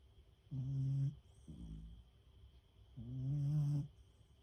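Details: A female Beagle fast asleep after lots of walking and play, snoring: two long, droning, low buzzy snores about two and a half seconds apart, with soft breathing between and a faint steady high tone behind.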